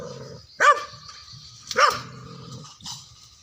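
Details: Indian pariah dogs in an angry fight; two sharp, harsh barks about a second apart, each with a rough growling edge, then a fainter third bark near the end over low rumbling background noise.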